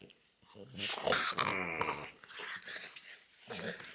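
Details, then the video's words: Loki, a pet French Bulldog, indoors in a small room, making odd grumbling, growl-like vocal noises: a run of harmonic moaning tones that rise and fall in pitch for about two seconds, then softer throaty rumbles with short pauses between them. "French Bulldog Makes Weirdest Noises You've Ever Heard!"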